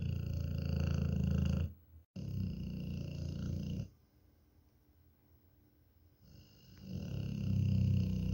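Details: Pet dog snoring like an engine indoors: deep, rumbling, low-pitched snores in long rough bursts, loud at the start, then pausing into near silence before the rattling snore returns near the end.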